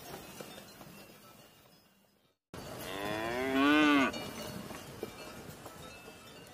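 A cow gives a single drawn-out moo, rich in harmonics, rising then falling in pitch.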